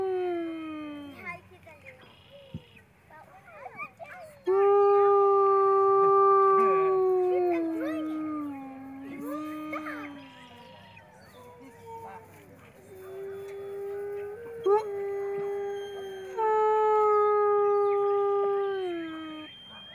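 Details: Gray wolves of the Main Pack at Wolf Park on Howl Night, Kailani leading off while Amanda yip howls; long level howls that dip and fall, interrupted by yips and overlapping voices, with quieter gaps between phrases.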